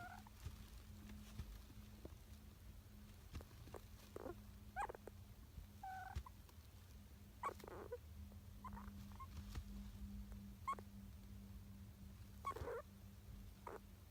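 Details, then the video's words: Richardson's ground squirrel named Kaito, father of Sa-chan, sleeping soundly and talking or snoring in its sleep, undisturbed even when its bed is touched; soft, brief, irregular squeaky chirps scattered over a steady low hum. "リチャードソンジリス 海渡(カイト)君の寝言(いびき？)"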